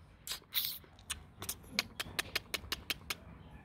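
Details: Kute Gervi, a 15-month-old Rottweiler, panting: breathy, hissing puffs that start scattered, then settle into a quick regular run of about five per second, over faint room noise.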